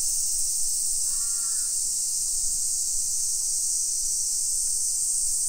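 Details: Cicadas droning in summer in suburban Nisshin near Nagoya, Japan, early afternoon, 28 July 2021: a continuous high-pitched hiss-like buzz fills the air, interrupted once by a single brief crow caw.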